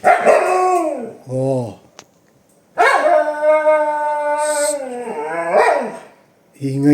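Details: Pet husky named Yashika howling and grumbling indoors in protest at a pet gate; long wavering tonal howls with short growly yelps between, the owners remarking that she is angry.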